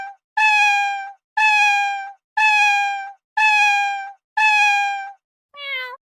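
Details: Five drawn-out, strong, flat meows from a cat at regular one-second intervals, then a brief softer meow with a downward wobble at the end.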